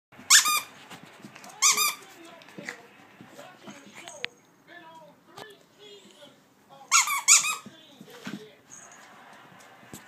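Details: A dog's first bark: short, high, squeaky yelps with stacked overtones, two near the start and a close pair later, separated by quiet voices and soft indoor sounds.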